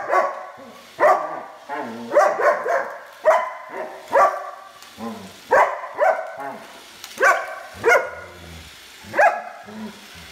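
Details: Steady run of sharp dog barks, roughly one every second, each bright and clipped, with light background noise between them.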